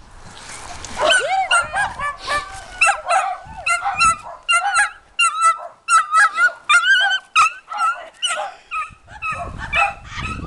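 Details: Dachshund chasing another dog around a yard, giving rapid high-pitched yips and yelps in tight bursts, several per second from the first second onward, loud and excited without pause to the end.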